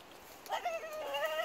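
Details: A French Bulldog out on a walk lets out a high, wavering scream that starts abruptly and holds for about a second, upset at cows, seemingly jealous when her owner tries to stroke them.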